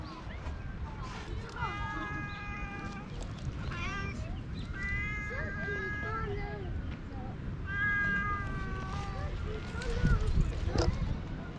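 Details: Hoarse-voiced stray cat acting affectionate, filmed outdoors on a GoPro: a run of short, strained meows in quick clusters with a human voice talking and rustling nearby.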